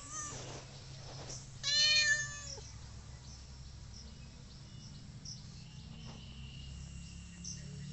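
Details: Village cat uttering a single loud, strained meow lasting under a second, rich in harmonics and falling at the close, amid low background hum and faint other sounds.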